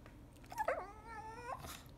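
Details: Shih Tzu puppy whimpering to ask for a walk: a thin, wavering whine that rises, then holds a long level tone before breaking off, over faint room hiss.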